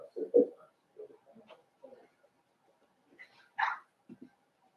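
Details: Five-week-old Cavalier King Charles Spaniel puppies in Daisy's puppy pen, watched on a livestream. Short, scattered yips and whimpers come from indoors, with one sharper, brighter yelp near the end and soft rustling between the calls.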